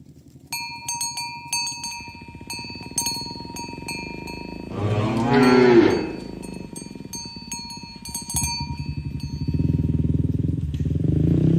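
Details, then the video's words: Tame village cows herded toward their pen in the morning. Repeated cowbell clinks and footsteps lead into a single strong moo near the middle, followed by more bells and rising rustling movement. "Suara Sapi Moo"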